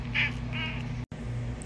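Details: A pet cat named Cooter, called a talking kitty, makes two brief nasal meows in quick succession, the first sharper and the second flatter, over a constant low electrical hum indoors.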